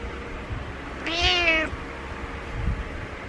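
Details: Butters the cat gives one bright, insistent meow of about half a second to rouse its sleeping owner, followed by faint rustling against a steady low hum.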